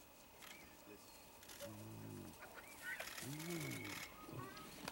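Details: Spotted hyenas at a kill in Vumbura, Okavango Delta, Botswana: low, harmonic, stacked calls that arch up and down. A lower moaning call follows. Scattered high bird whistles and background rustling are also heard.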